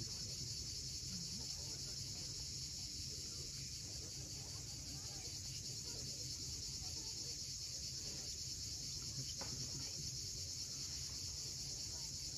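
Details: A continuous shrill drone of cicadas at sunset on Crimea's steep coast near Cape Fiolent, even and unchanging throughout, over a soft wash of surf and an occasional brief low chirp.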